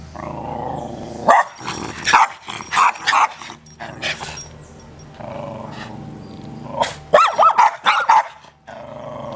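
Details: Unfriendly dogs snarling: low sustained growls broken by bursts of harsh barks and yips, two clusters of loud barking separated by rumbling growl.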